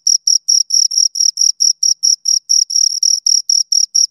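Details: Two crickets stridulating close by, producing bright high-pitched chirps in a regular, slightly uneven pulse of about four to five per second, with no background noise.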